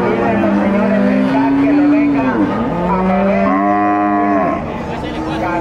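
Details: At the Nueva Guadalupe livestock market in El Salvador, a bovine gives two drawn-out, strongly harmonic moos, the first sagging in pitch, the second held level before dropping, with market noise and a vehicle behind.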